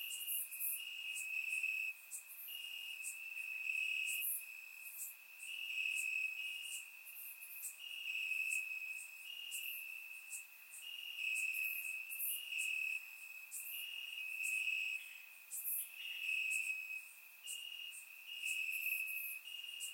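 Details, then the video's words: Warm summer night in Bulgaria with crickets chirping in the grass, captured on a surround microphone: continuous high, pulsed trilling in rhythmic bursts about once a second, overlaid by fainter shrill insect ticks. "Cricket Sounds - Crickets Chirping at Night"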